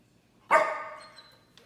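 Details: An angry Chow Chow gives a single sharp, harsh bark that quickly fades.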